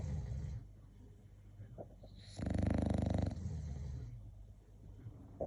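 An English bulldog snores with a loud, rattling, low-pitched rasp.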